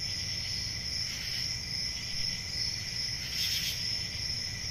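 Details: Summer night cricket chorus in the countryside, a continuous shrill ringing trill with a brief louder chirp burst near the end, a faint low hum underneath.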